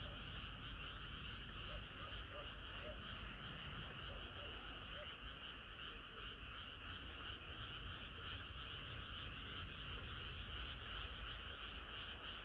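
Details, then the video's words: Frogs singing on a hot summer night, a dense continuous chorus of many callers forming steady bands of croaking trills, no single voice standing out, with low rumbling noise underneath. "개구리들의 합창은 끝이 없어라"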